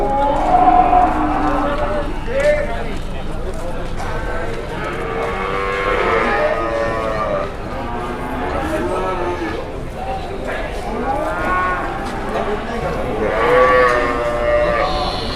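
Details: Large cattle in Indonesia being unloaded from a truck; several low, drawn-out moos with arching tones rise and fall through the recording, mixed with men talking and shouting and general outdoor commotion.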